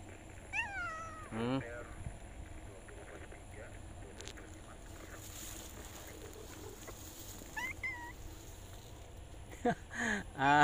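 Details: Male cat looking for a female; several high, wavering meows early and midway, with people talking nearby in Indonesian and scattered background noise.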